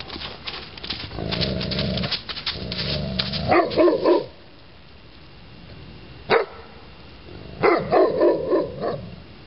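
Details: Neapolitan Mastiff barking deeply in two bursts: a quick run of three or four barks near the middle, then a longer run of several barks toward the end, over a steady low hum in the first part.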